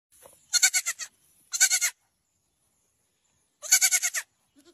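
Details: Baby goat bleating: three high, quavering bleats, each a rapid wavering tremolo lasting about half a second, the last after a pause of nearly two seconds, with a faint low sound at the end.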